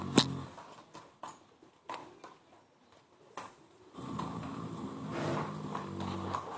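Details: Sleeping mare Yaskrava: scattered knocks and rustling at first, then a steady low rumbling snore with layered harmonic bands swells through the second half.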